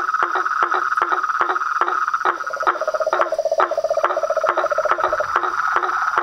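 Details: Frogs, toads and tree frogs calling together at dusk by a house pond; quick percussive knocks at an uneven fast pace over a constant trill, with a lower buzzing trill entering midway and continuing for several seconds.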